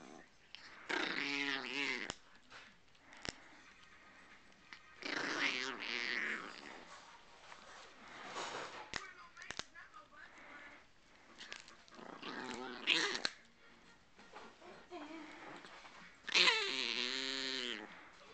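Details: A 2½-year-old male Chihuahua gives high, grumbling growls in bursts of about a second, rising and falling in pitch every few seconds, warning others away from his pig ear; recorded December 17, 2008.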